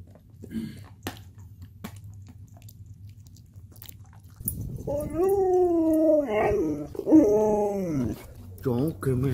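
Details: Abandoned Chihuahua crying after being reunited with its owner indoors: after quiet opening seconds, a run of wavering, high-pitched whines that rise and fall, with a person talking nearby.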